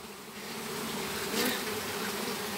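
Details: Western honey bees (Apis mellifera), a flying swarm, being captured in a house's backyard in Campo Grande. A dense, steady hum with low droning bands, constant throughout, and a brief brighter swell midway.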